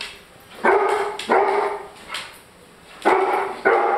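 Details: German Shorthaired Pointer barking at his food because it is too hot; four loud, harmonic barks in two pairs, one near the start and one near the end, with a faint softer sound between them.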